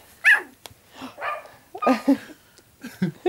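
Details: Young puppies getting mobile let out a sharp high yip, then a few lower, throaty barks and whimpers spaced about a second apart, with a person's quiet voice in between.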